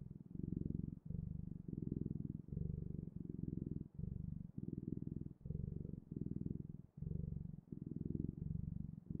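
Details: Domestic cat purring steadily, a low rumbling drone broken into breathing cycles of roughly half a second to a second, each inhale and exhale a separate pulse, with no other sounds.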